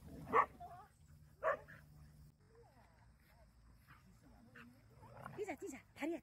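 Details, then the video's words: Jealous Jindo dogs on a Busan walk: two loud barks a second apart, then a pause and soft rising whimpers and yips building toward the end, with a person calling encouragement. "댕댕이들의 질투"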